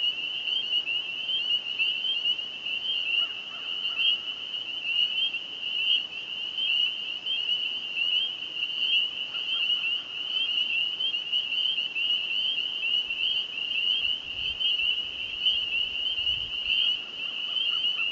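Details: A dense chorus of spring peepers at a small lake south of Sudbury, Ontario, Canada, on the evening of 9 May 2015; countless high, clear peeps blending into one continuous shrill ring.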